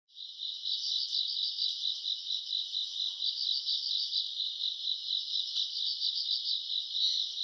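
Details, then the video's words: Grass insects calling on a summer night, recorded around August: a continuous high shrill chirring that pulses in quick, regular beats, steady throughout with no other sounds. "풀벌레 소리 가득한 밤"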